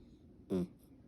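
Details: A miniature dachshund, snuggled asleep with another, lets out one brief snore, a low, throaty rasp with a buzzy edge under a quarter second, in a quiet room.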